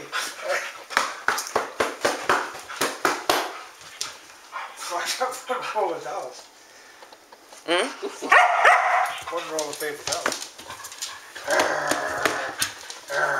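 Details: Several Standard Poodles of Arreau Standard Poodles, nicknamed the Dingbats, on 12 August 2014 at midnight, playing and scuffling indoors. A rapid burst of sharp barks runs for about three seconds, then a man talks over scattered yips and whines.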